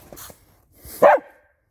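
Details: Hunting laikas kept by their owner near a reservoir in Russia, barking as he arrives with treats. A single sharp, loud bark after faint rustling, then quiet.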